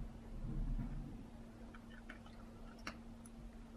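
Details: Quiet indoor room hum with a few faint clicks and soft handling noises, and no animal voice heard.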